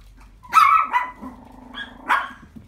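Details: Silver puppy recorded on January 4, 2017, letting out a pair of high, tonal yappy barks, the second trailing into a lower sustained whine before a final bright yip.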